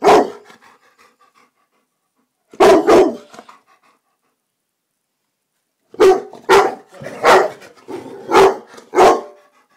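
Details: Black Labrador Retriever barking indoors in a living room one evening while attacking a silk orchid: a sharp bark, a quick double bark, then a fast run of about six loud barks.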